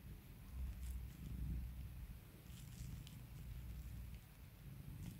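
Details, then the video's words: Purring from a house cat being soothed and pampered by its owner, a steady low throbbing rumble that pulses gently with its breathing, with light scratchy handling sounds above. "CAT PURRS"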